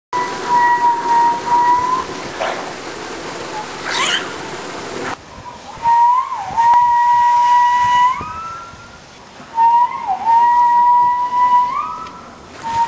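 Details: Captive male walrus at a dolphinarium in Harderwijk, Netherlands, whistling in April 2010 during mating season to attract females; long steady pure whistles at one pitch, each ending in a brief upward bend, in three bouts separated by quieter gaps.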